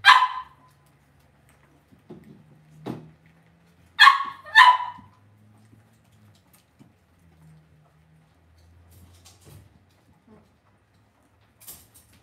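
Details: Indoor pen of Cavalier King Charles Spaniel puppies. A sharp yelp opens, then a quiet gap with faint rustling, then a close pair of bright yips, and a low background hum.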